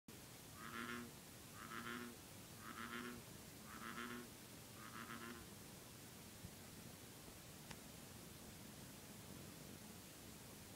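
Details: A male American bullfrog calling gives five deep, resonant, nasal croaks, about one each second.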